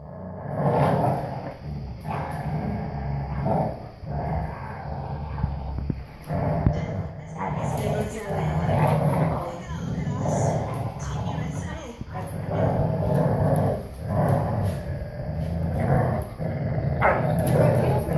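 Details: Four-year-old English Cream Golden Retriever weighing 80 pounds, playing tug of war with a small puppy over a rope toy; low, rough growling rises and falls in surges every second or two, with people talking.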